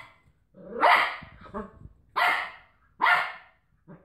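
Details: Cocker Spaniel wrestling with a washing tablet carton gives three loud, harsh, gruff barks about a second apart, each preceded by a rough growly onset, with a softer short bark at the end; some rustling in between.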